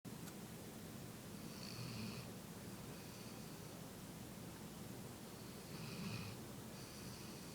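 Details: Female pet dog asleep in her owner's lap, snoring softly: slow, rhythmic breaths with a faint whistling rasp on each inhale about every four seconds, over a steady hiss of room noise.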